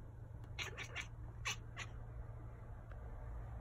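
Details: Betty, a pet cat, makes funny little sounds at a bug she can't catch: a quick run of about five short, bright chirps within just over a second, then quiet. A steady low hum sits underneath, with another cat, Gizmo, nearby.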